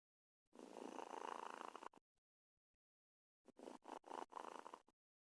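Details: A domestic cat snoring like a human: two long, rasping, noisy breaths. The first is steady and the second is broken into several quick pulses, with near silence between them.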